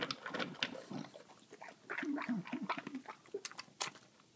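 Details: Female English bulldog chowing down her dinner as though she had not eaten for days, then licking her lips: wet chomping, slurping and lip-smacking bursts packed close together, with a few short low grunting snorts, indoors in a small room.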